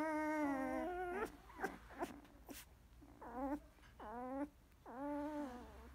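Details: A field-type Labrador Retriever puppy, 16 days old, after nursing, utters long nasal whines that bend upward then drop, broken by short squeaks, in a quiet room.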